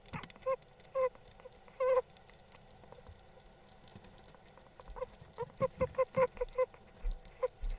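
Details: A pet hedgehog named Fabia gives short, high squeaks mixed with wet clicking and smacking sounds while eating something tasty.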